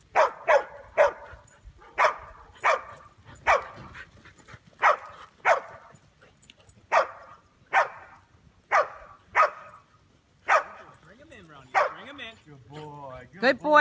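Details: Chow Chow mix named Ronin trying sheepherding, giving a long run of sharp barks, about one every second or less, steady in loudness, with a sheep's wavering bleat near the end.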